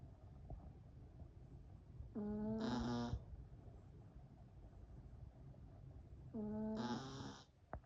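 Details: Yorkshire Terrier puppy asleep, giving squeaky, whistling snores on each breath, two in the stretch roughly four seconds apart, each tone steady then breaking into an airy hiss; a soft click near the end, otherwise quiet room hum.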